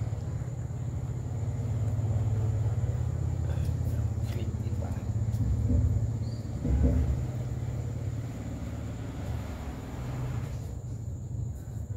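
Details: Low engine rumble of a passing vehicle dominates, with faint speech and outdoor background noise.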